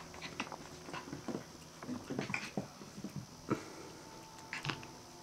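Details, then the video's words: Five-week-old Australian terrier puppies making soft, scattered squeaks and brief yips amid clicking and scuffling noises, with a faint steady hum in the background. "Australian Terrier Puppies 5 Weeks"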